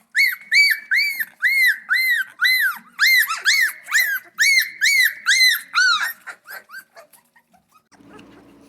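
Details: Central Asian Shepherd Dog puppies at their first feeding in a barn: a run of high, arched whimpering squeals repeated about twice a second for six seconds, then fading short squeaks and a low rustle.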